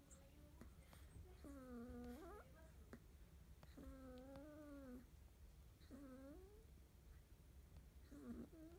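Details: Morning litter of 31-day-old field-line Labrador Retriever puppies: four drawn-out, tonal whines, each bending up then down with rich harmonics, about a second long and separated by short pauses, over low room hum.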